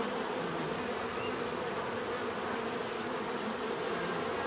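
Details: Bees buzzing steadily in a dense, continuous hum with layered tones around the middle register, no pauses; a faint repeated high pulsing tone runs through the background.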